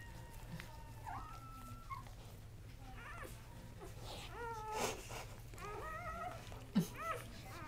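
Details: Three newborn male Kuvasz puppies, born October 30, 2008, make fainter thin whines and short wavering squeaks, a few drawn-out cries rising then dropping, over a constant low hum with a soft thump near the end.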